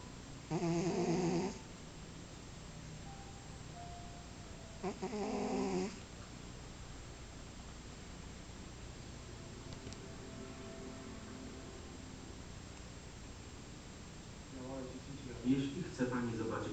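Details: Maine Coon cat asleep in a glass, snoring in rough, rasping breaths separated by several seconds of quiet.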